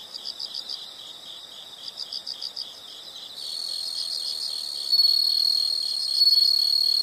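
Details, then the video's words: Insects in a calming nature soundscape: quick high chirps pulse in bursts, then a louder continuous shrill trill joins and swells in waves over the steady background chorus. "the sound of insects"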